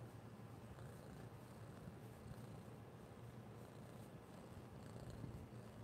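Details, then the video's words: Orange cat named Noah purring while wanting affection: a steady, low, even rumble running unbroken through the whole stretch, with no meows and only faint background hiss. "I just want to be loved"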